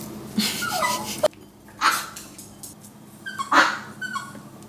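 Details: Pet Maltese dogs indoors, a small family of male, female and their daughter Blue, with a few short high whimpering yelps spaced about a second apart, under soft household noise.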